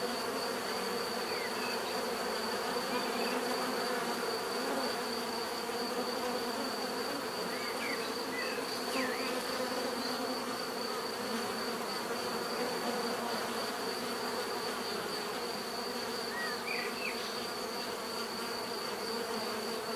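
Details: Continuous swarm buzz of bees, a thick even hum layered in several bands, with a steady high whine throughout and a few scattered short chirps, likely birds, in the middle and near the end.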